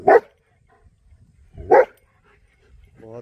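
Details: Young male long-coat German Shepherd, 9.5 months old, barking loudly near horses on a morning walk: two sharp, forceful barks about 1.6 seconds apart with near silence between, then a brief voiced human sound at the end.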